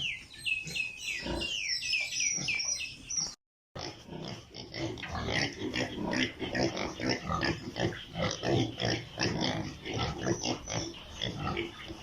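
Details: Piglets on a pig farm in Italy: high drawn-out squeals at the start, then a brief gap, followed by a busy dense chorus of rapid grunts and squeaks from many animals.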